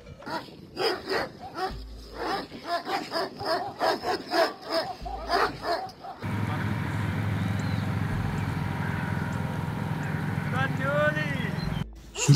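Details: Barking of Kangal dogs protecting nomadic herders' sheep from wolves in upland summer pastures: rapid, rough barks repeated over six seconds, followed by steady wind-like rumble with faint higher chirps.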